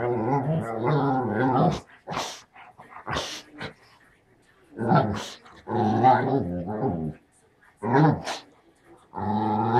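An English Springer Spaniel makes throaty, moaning 'talking' sounds, wavering and growly, in bursts of a second or two. A person's voice is heard briefly between the dog's grumbles.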